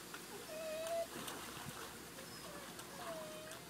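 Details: Golden retriever fetching a football from a pool gives two drawn-out, thin, level whines, one early and one near the end, against a background of splashing and lapping water.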